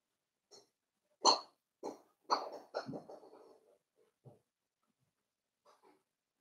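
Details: Four-week-old Cavalier King Charles Spaniel puppies in a home puppy pen, meeting other dogs and trying puppy mash: a burst of short, whiny yelping whimpers in quick succession, tapering into a few soft, thin squeaks.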